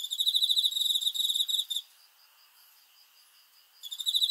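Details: High, sharp chirps from a cricket at night, pulsing quickly for nearly two seconds, followed by a two-second hush and a fresh burst of the same rapid beats.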